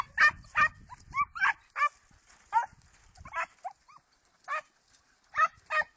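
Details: Segugio Italiano barking in short bursts: clipped yelps with irregular gaps, some thinner whining notes between, and a low rumble of movement near the start.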